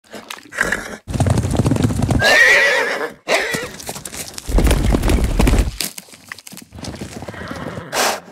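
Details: Mustang stallions give loud snorts, a high rising squeal and deep rumbling nickers in quick bursts.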